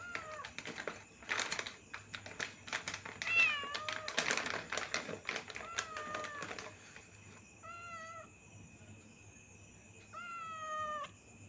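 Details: A cat mews repeatedly, a series of bent, slightly descending calls, some drawn out; handling noises and clatter crowd the first few seconds, then clear meows stand alone against a low hum.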